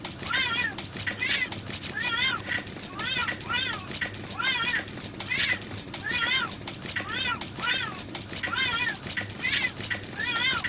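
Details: Male and female cat fighting: about thirteen short, arched, wavering meows, roughly one per second, each rising then falling in pitch with rich harmonics, over a steady low background hum.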